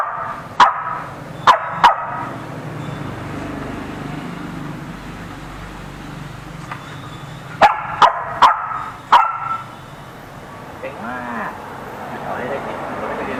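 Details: Dogs quarrelling at a home in the Ram Inthra area: a 4–5-month-old Samoyed puppy pestering a Corgi, with four more dogs joining the scuffle. Sharp single barks come in two bursts, near the start and again around eight seconds, over a steady background hum.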